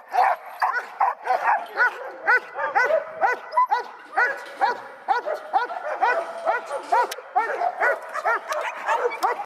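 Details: A seven-month-old male dog, linebred and started in bitework, barks rapidly and steadily, about two barks per second, sharp yappy barks with a faint voice in the background.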